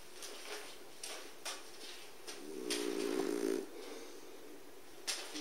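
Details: French Bulldog named Busuke sleeping soundly in front of a wood stove, snoring indoors: soft rasping breaths with one louder, drawn-out buzzing snore in the middle and brief sharp huffs near the end.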